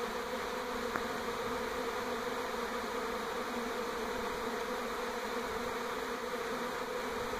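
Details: A swarm of honey bees moving from an old to a new hive around a home in NE Portland makes a dense, steady, low droning hum that fills the air without pause.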